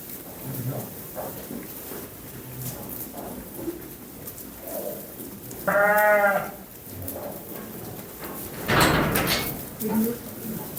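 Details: Young lambs bleating: one clear harmonic bleat near the sixth second, then a louder, noisier cry around nine seconds, with a softer call near ten seconds over a background of talk and farmyard noise.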